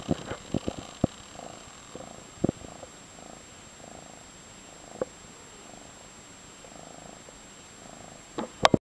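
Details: Soft, steady purring from a young orange tabby tomcat, five months old, fostered in San Carlos, California; gentle throbbing pulses repeat through the recording, with scattered clicks and rustling touches at the start and finish.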